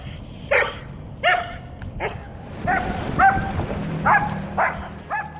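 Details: Reactive German Shepherd female that lunges and pulls on walks: a series of short high whines and yelps, about one every second, some rising and bending in pitch, over low rumbling background noise.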